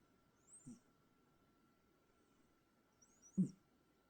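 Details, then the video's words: Sleeping cat snoring with whistling snores: two soft breaths about three seconds apart, each a low rasp paired with a thin high whistle, over a faint steady hum. "Whistling Snores"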